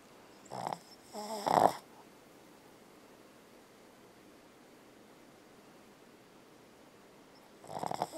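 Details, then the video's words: Sleeping Boston Terrier named Bella, dreaming and snoring: a short snort, then a louder rasping snore near the start, a long quiet pause, and another rough breath at the end. "Boston Terrier Snoring & Dreaming"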